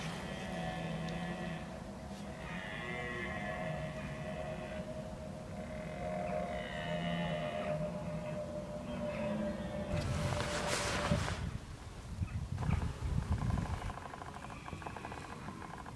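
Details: Red deer bolving, or bellowing, in October 2014 while preparing for the rut: drawn-out, deep, moaning calls rich in harmonics run for several seconds, followed by a loud rushing burst of broadband noise near the end.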